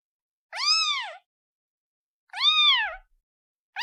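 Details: Kitten calling for its mother: two clear, high arched meows, each about half a second long and rich in harmonics, rising then falling, separated by a long silence in a quiet setting.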